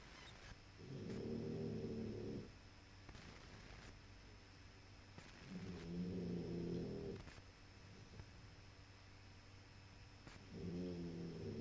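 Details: Puppy snoring in steady rhythm, three long, low rasping inhalations about four to five seconds apart, each a droning buzz with layered overtones, separated by near silence.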